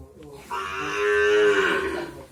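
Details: Young male Brahman calf at a dairy farm gives one sustained, richly harmonic moo lasting about two seconds, steady in pitch before dropping at the end, recorded in a small quiet space.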